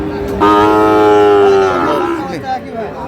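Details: Sahiwal bull calf at the Khochabari cattle market in Parbatipur, Dinajpur, on 10 April, giving one loud, long, rich moo that holds level for over a second, then sags and fades, amid market chatter and traffic noise.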